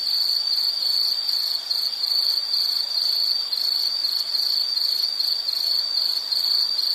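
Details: Insects trilling in a calming nature recording, a continuous high-pitched pulsed chirping, several beats each second, held at an even level throughout with a fainter upper overtone and no voices or music.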